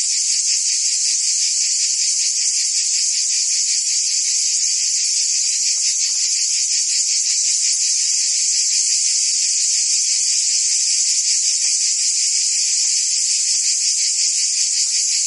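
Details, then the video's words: Cicadas chorus through a summer day in Provence, France: an intense unbroken high buzz with fast regular pulsing, uniform loudness, and no birds, wind or voices. "Cicadas singing in France (Provence)"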